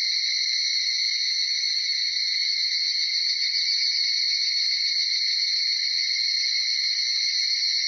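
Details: Higurashi cicadas (Tanna japonensis) in a 'semishigure' dawn chorus in Uda city, Nara Prefecture, Japan, between 4:30 and 5 a.m.: steady, overlapping high-pitched shrilling that holds constant throughout, with no other clear sounds.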